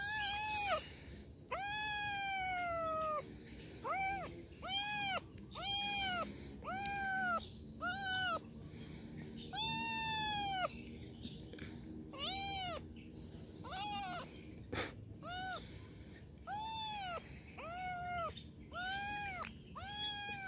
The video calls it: Video Anak Kucing Mengeong lucu - Cute Meowing Kitten